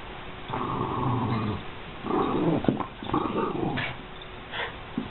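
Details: American Eskimo Dog producing sustained, buzzy growl-talk in several stretches, the pitch wobbling and breaking, with brief sharper yips near the end.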